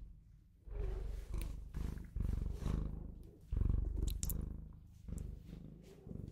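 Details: Bengal cat purring, a pet cat soothing the listener to sleep: low rumbling purr in swelling pulses, each breath a rise and fall lasting about a second, with faint clicks and rustles on top.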